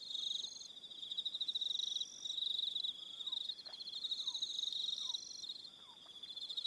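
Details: Crickets calling in the evening on Aroha Island, New Zealand, a steady high pulsed trill with overlapping higher buzzes; several faint descending whistled notes sound beneath, repeated about every second midway through.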